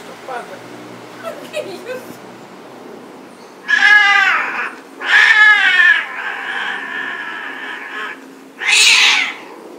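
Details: Domestic cats mating, calling with loud, drawn-out wavering yowls in three bursts, the middle one held long and steady, then a harsh rising scream at the end; quieter rustling before the calls.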